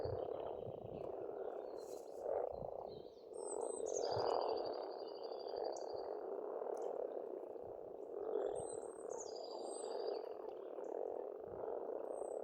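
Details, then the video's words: A steady wall of frog croaks rises from a pond on an Estonian farm in spring, dipping briefly then swelling again, while birds add sharp chirps and a long high trill. "Расслабляющее пение птиц и лягушек, весна, природа."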